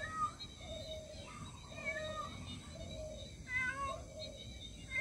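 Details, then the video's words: Mother cat meowing for her missing kitten: a series of fainter, shorter meows at moderate pitch, uneven in spacing, with a steady low rumble of background noise. "Cat meowing for missing baby"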